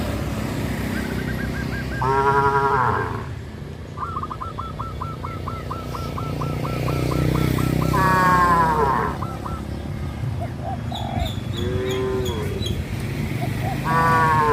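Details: Cattle herded on a countryside road, with several moaning moos spread through the recording amid low rumbling, and a fast run of short, evenly spaced high chirps between the calls.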